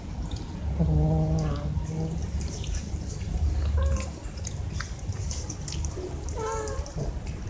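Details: Cats wanting food or attention, mewing in several short, wavering calls spread across the stretch, with low rumbling background noise and faint clicks.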